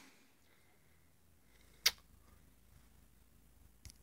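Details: Near silence in a small room late at night, broken by one sharp click and a faint tap near the end.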